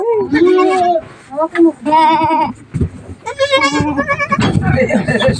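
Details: Newborn goat kids, one male and one female, just delivered by their mother on a farm; several wavering, quavering bleats in quick succession, with people talking and laughing between and over the calls.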